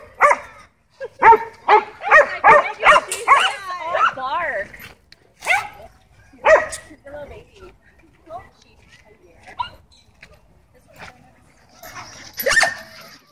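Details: Tense dogs at a dog park, some left on leash by their owners, give a fast run of yelping barks over the first four seconds, then scattered single barks and thuds with long quiet gaps, and a faint hiss near the end.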